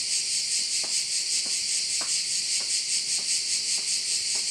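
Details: A shrill, steady buzz of crickets fills a Korčula bay in Croatia. The sound is high and dense with a fast rhythmic throb, and faint ticks fall about every half second over a constant low hum.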